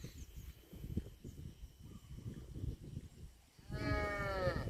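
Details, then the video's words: After several seconds of shuffling and low background noise, a cow starts a loud, rich moo that swells and is still sounding when the recording ends. "CUTE AND FUNNY COW SOUND VIDEOS COMPILATION"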